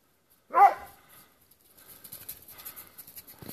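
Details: Plott Hound hunting on a wild boar trail gives one loud, sharp bark, then quiet rustling and faint hissing noise follow.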